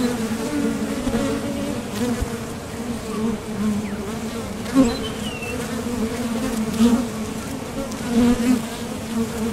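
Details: Honeybees at a top bar hive entrance, leaving and landing during nectar foraging; an even deep hum punctuated by brief louder buzzes of bees passing the recorder, faint bird note behind.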